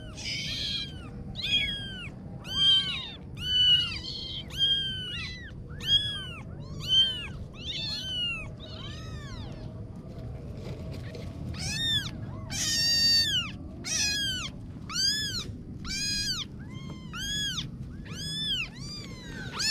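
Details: Kittens mewing insistently, dozens of short rising-falling cries repeated roughly once a second, briefly pausing midway before a dense burst of high, sharp mews, with low background hum throughout.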